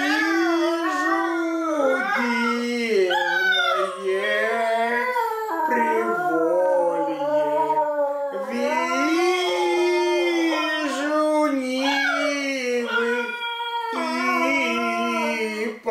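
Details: Dog howling along to the Russian song "Vizhu divnye razdolya" ("Вижу дивные раздолья"): long wavering, sliding tones rise and fall in continuous phrases over a person's singing and music.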